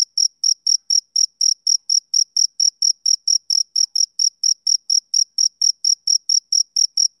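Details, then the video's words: High, clear pulses from a male cricket on a summer evening, repeated steadily about four per second, uniform in loudness and pitch, with a quiet background. "Cricket Chirping Sound Effect"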